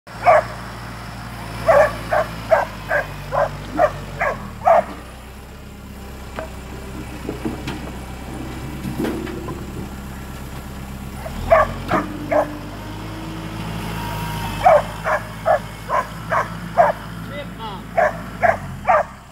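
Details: A five-month-old Black and Tan Coonhound barking at a squirrel it has treed: bursts of loud, evenly spaced barks, about seven per burst, separated by pauses, over a steady low engine-like hum.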